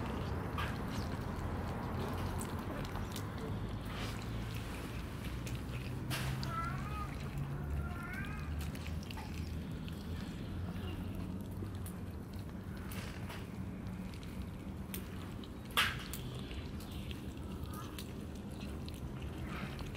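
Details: Mother cat and her kittens coming out of the basement for breakfast; a few short wavering meows around the middle, mostly soft and high, over steady low rumbling background noise with occasional clicks and a thump.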